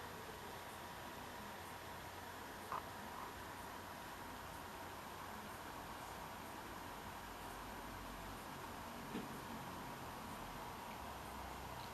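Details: A constant fan-like hum and soft hiss, broken only by two faint clicks, with no animal voice.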